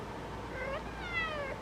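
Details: Orange female cat indoors in the sun at golden hour, giving two short talking meows, the second higher and longer with rich harmonics, steady low hum behind.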